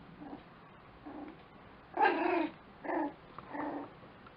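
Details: Lakeland Terrier puppies: soft short whimpers at first, then a louder drawn-out whiny yelp followed by two shorter mewing cries spaced under a second apart.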